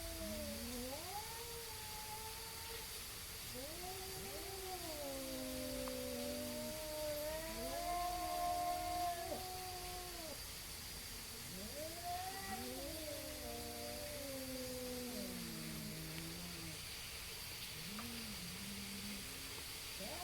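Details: Two neighborhood cats face off before a fight, trading long wavering yowls that rise and fall, overlapping in a near-continuous duet with harmonics, over a steady background hiss and a faint high tone.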